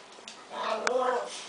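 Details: Chinese Crested dog that likes to talk and tell what he wants, giving a drawn-out, wavering whine-like vocal lasting under a second amid a person's questions about treats in a quiet room.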